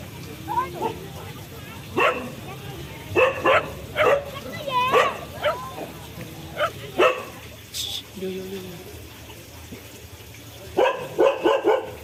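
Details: A dog's scattered barks and yips, some with a whining upward slide, mixed with people talking, a brief high squeal, and a closing burst of rapid barks.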